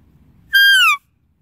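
A deer gives a single clear, whistled call that holds steady and then slides downward.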